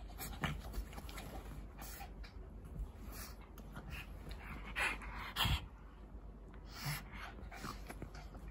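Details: Panting from a Shih Tzu and Pug pair, short breathy puffs with a couple of louder snorts near the middle, over a constant low-frequency hum.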